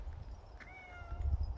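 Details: An affectionate, dog-like pet cat gives a single short meow, a clear tonal call that rises briefly and then levels off and falls slightly over about half a second. Low thumps and room noise sit underneath.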